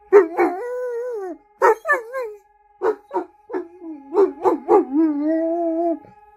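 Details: Wolfdog howling along with sirens: a series of short, wavering yelping howls with rising and falling pitch, broken by brief pauses, ending in a longer drawn-out howl.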